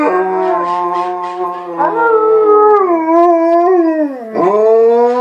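White Swiss Shepherd dogs howl in long, wavering tones that sag and rise again.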